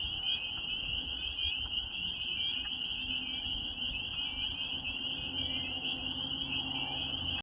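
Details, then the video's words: Spring peepers calling in spring in the Maine countryside: a dense chorus of high, shrill peeps blending into an unbroken ringing band, with faint low rumble beneath. "Peepers until further notice"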